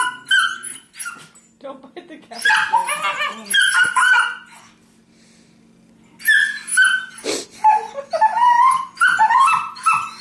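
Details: Beagle and terrier sparring in play on a couch; rapid yips, whimpers and barks in bursts, a quiet pause mid-clip, then rising whiny calls, over a low constant hum.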